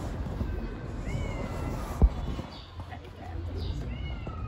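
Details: Hungry stray kittens living on the street give several thin, high, slightly rising meows, spaced about a second apart, with a sharp knock midway and a quiet outdoor hiss behind.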